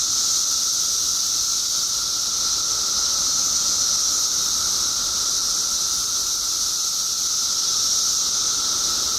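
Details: Illinois mass emergence of periodical cicadas after 17 years below ground: continuous shrill buzzing from countless insects, an even hiss-like wall of sound with a lower steady whine, unchanging throughout.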